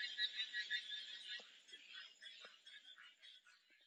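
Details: Frogs calling together in a dense, high-pitched chorus of rapid trilling pulses, loudest at the start and gradually thinning and fading, with a few soft low clicks underneath.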